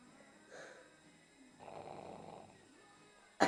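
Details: Sleeping pug on a lap gives a long, raspy snore lasting about a second, after a softer breath, then a sharp loud knock at the end.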